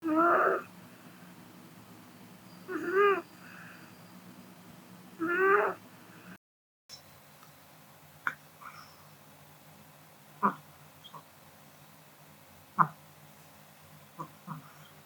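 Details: Pomeranian named Kodama asleep after a meal, snoring: three rasping, tonal snore breaths roughly every three seconds, each with a wavering pitch, then a short break and a quiet stretch with a few soft, scattered clicks.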